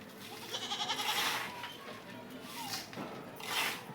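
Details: Goat munching green fodder, one short nasal bleat with a trembling, buzzy quality, followed by quieter chewing and rustling sounds and a soft second cry at the end.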